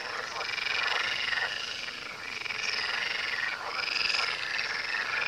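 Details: Frogs near the Tywa river croak in a crowded, grating chorus of fast rattles, the overlapping voices surging and easing in waves.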